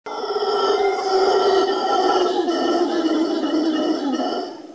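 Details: Howler monkeys at Papagayo Peninsula, Guanacaste, Costa Rica: a loud, continuous deep roaring howl with rich layered overtones, held for several seconds and slowly falling in pitch before fading.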